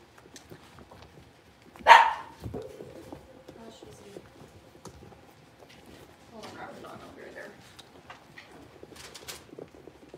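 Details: Indoors in the big puppy pen, one of five blenheim Cavalier King Charles Spaniel puppies lets out a single abrupt bark, with quiet shuffling, soft murmurs and small knocks afterward.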